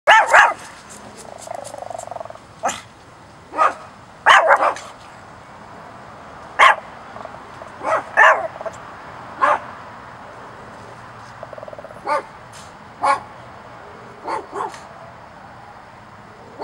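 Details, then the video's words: Chihuahua acting as a watchdog on lookout, giving short, sharp barks singly and in pairs at irregular intervals, roughly fifteen across the stretch, with quiet gaps between them. "Chihuahua_Killer Watchdog Lookout"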